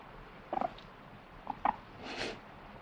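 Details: A guinea pig gives short, stuttering squeaks in quick clusters, complaining at not getting a snack and wanting vegetables, with the owner's voice partway through.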